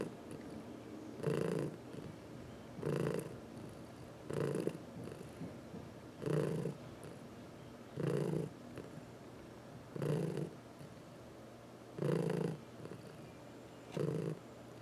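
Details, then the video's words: A domestic cat purrs as it is massaged, one of four house cats including seniors adopted from the Humane Society of New York City; strong, regular rumbling bursts with each breath, about every two seconds, over near silence. "Four Purring Cats — Cat Massage"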